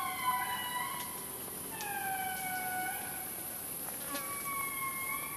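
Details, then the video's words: Indri lemurs in Analamazaotra National Park, Madagascar, giving haunting wails: drawn-out tones that climb then glide slowly downward, with two or three voices overlapping in steady phrases over a constant high insect hiss. "The Haunting Wails of the Indri Indri Lemur"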